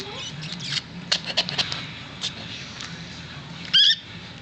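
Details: Newborn miniature dachshund puppy, last of a litter of five, delivered indoors on a Sunday evening, April 19, 2009, after being stuck and pulled out; a single short, sharp high squeak near the end follows scattered clicks and handling noise.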